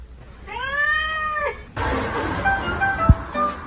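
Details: Domestic cat giving one drawn-out meow of about a second, arched in pitch with rich harmonics, followed by a noisy stretch with music-like tones and a sharp knock.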